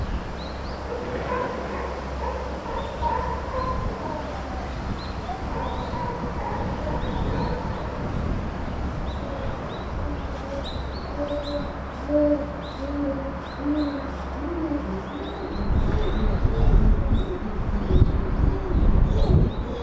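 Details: Chimpanzee Puteri crying at Tennoji Zoo, December 2021: a run of mid-pitched, tonal wailing notes with harmonics, repeated several times a second in uneven bursts. High chirps sound faintly above, and low rumbling builds toward the end.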